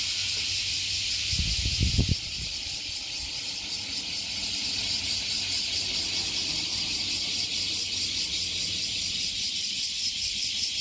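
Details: Japanese cicadas by Fukuoka Bay calling in unison after emerging beneath a 50-year-old tree. Unbroken high sizzling drone with quick regular pulsing, a brief low thumping burst near two seconds.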